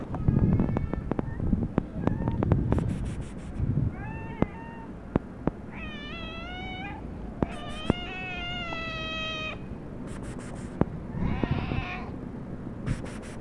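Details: Black domestic cat meowing as if wanting to tell its owner something: several drawn-out, harmonic meows, some rising then falling, one long wavering cry near the middle, between clicks and low room rumble.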